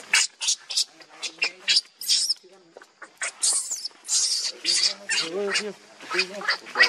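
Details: Newborn baby monkey named Leo, very hungry and begging its mother for milk while suckling, gives a series of short, high, harsh squealing cries in quick bursts, with a few lower wavering whimpers near the end.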